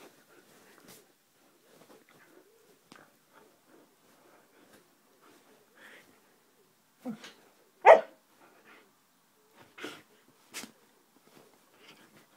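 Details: Playful Siberian husky Roxy with scattered soft huffs and grunts, then a burst of barks, one much louder than the rest, followed by a few quieter yips.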